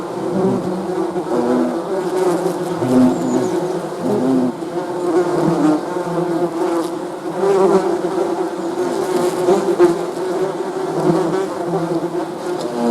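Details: Continuous buzzing of honey bees, a thick droning hum that swells and fades slightly as individual insects pass, many wings overlapping throughout.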